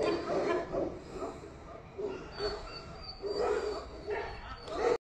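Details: A Tibetan Mastiff gives short throaty barks in uneven bursts with brief pauses between them, and a faint high tone runs behind. The sound cuts off abruptly at the end.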